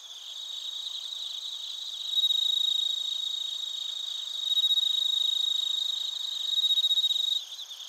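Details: Crickets, including suzumushi, recorded in Narita, Chiba Prefecture, Japan, on a TASCAM Portacapture X8: a dense high shimmering chorus with loud, pure ringing notes swelling in three long bursts over the steady background trill.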